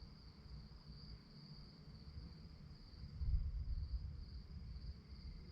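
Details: Chirping crickets after dark, a thin high pulsing trill steady across the recording, partly masked by a low rumble that swells near the middle.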